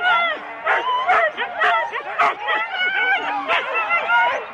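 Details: Husky teams of four dogs at the race start in Rendlesham, January 2016, recorded on cassette: high, drawn-out harmonic whines and yips layered over punchy barks, nearly unbroken.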